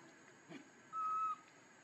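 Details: Hungry infant macaque named Leo cries to its mother for milk, giving a single steady high whistled note lasting under half a second, after a brief soft rustle.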